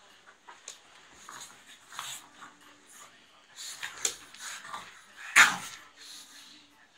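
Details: Playfully fighting pugs: scattered snuffling breaths build into louder rasping snorts and grunts, with one sharp loud snort-yelp near the end. The room is otherwise quiet.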